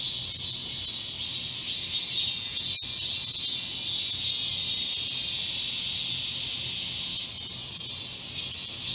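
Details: A massed chorus of cicadas sings in a garden during a midsummer heatwave on 31 July 2022. It makes a steady, high, shimmering hiss that barely wavers; individual singers swell in and out, but the drone never stops.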